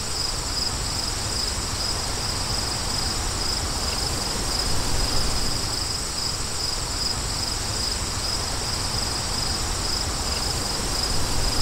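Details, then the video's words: Crickets trilling against wind: a bright, rapidly pulsed high chirping stays constant and fairly prominent while a softer, even wind rush fills the background throughout. "Crickets & Wind For DEEP SLEEP"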